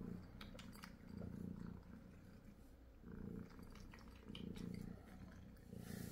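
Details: A Munchkin cat that eats well only when its owner sits beside it. Soft, low rumbling purr comes in steady bouts of about a second, with short quiet gaps between them, in a small indoor room. Faint clicks and rustles sit above it.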